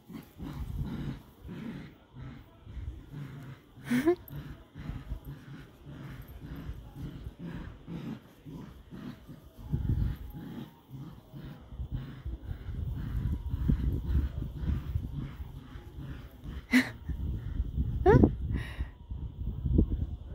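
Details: Border Collie puppies at play in a tug of war, steady low growling and grumbling throughout, a few short high yelps and whimpers, with a person speaking softly.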